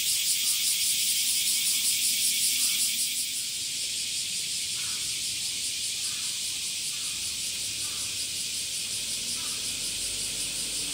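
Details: Male cicadas singing in summer via tymbals: a loud, rapidly pulsing high buzz for about three seconds, then settling into a slightly softer steady hiss, with faint intermittent chirps.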